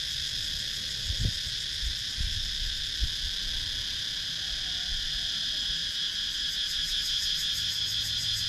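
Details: In rural woodland of Sakon Nakhon, Thailand, cicadas keep up an even, high-pitched ringing chorus, growing slightly pulsed toward the end; a few faint low taps early on. GoPro Hero 9 recording.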